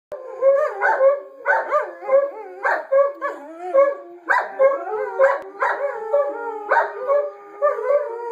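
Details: Two Borzoi howling together, one leading and the other joining in: wavering, tonal howls that rise and bend, broken into short overlapping phrases about every half second to second, with layered harmonics and no other clear sounds.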